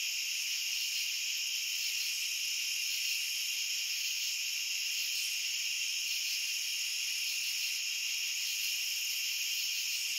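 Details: Crickets in a dense, unbroken chorus: a steady shrill ringing in several high bands that never pauses and shows no separate chirps across the stretch, with no other animals, voices or music heard.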